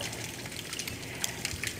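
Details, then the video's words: A dense underwater crackle from snapping shrimp, like fat frying or dry twigs burning, recorded in the water where the shrimp live; the sound goes on all the time. "And indeed, the sound I'm going to play you is dominated by this little critter, the snapping shrimp."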